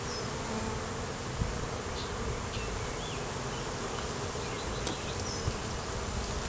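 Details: Colony of honey bees humming loudly as a hive is opened and inspected in a beeyard, filmed with a Canon Rebel T6 DSLR; a constant low drone, a few faint distant bird whistles, and occasional light knocks.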